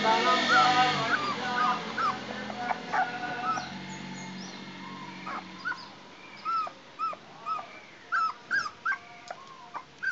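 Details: Puppy sitting on a chair for the first time gives short, high, bent whimpering yips. They come in a quick irregular string over the last few seconds, after a brief stretch of music-like tones at the start.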